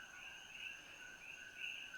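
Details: Introduced coqui frogs (said to come from Costa Rica) call in a dense evening chorus at Holualoa above Kona, Hawaii, a continuous high ringing tone with brighter individual notes about once a second.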